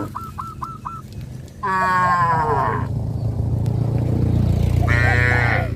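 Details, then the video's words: Cattle herd walking toward a grazing field under hot sun: two drawn-out, richly harmonic moos, the second rising late in the clip, preceded by a quick run of four short high chirping notes over a steady low rumble. "A herd of cows walks towards the grazing field under the hot sun,sound of cows"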